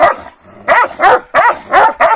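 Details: Morning quarrel between Kangal dogs fed a rabbit during the night; five hoarse, resonant barks follow a brief pause, spaced roughly a third of a second apart.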